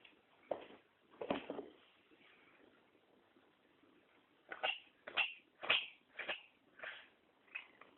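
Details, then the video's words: Chester the cat sneezing in a long run: about a dozen short, sharp, breathy bursts, a pair early on, then a rapid series every half second or so toward the end. "chester sneezes"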